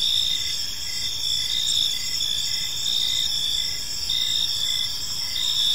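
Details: Crickets chirping on an evening in a park: a steady high-pitched chorus with pulsed chirps repeating roughly every second, layered bands of trilling above, no other clear sounds.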